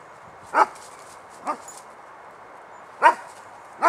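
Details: Dog barking outdoors in autumn: four short, sharp barks at about 0.6, 1.5, 3.0 and 3.9 seconds, irregularly spaced, against quiet background.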